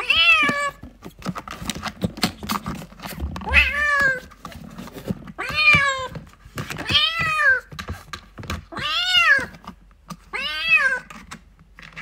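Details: A kitten calls for its mother indoors: six bright, rising-then-falling meows, about two seconds apart, strong overtones, with light tapping and clicking noises filling the gaps.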